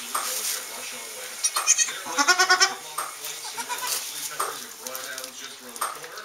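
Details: Newborn Saanen/Alpine kid goat on a hobby farm in May, a quavering, pulsing bleat in the middle of the recording, surrounded by people talking and rustling.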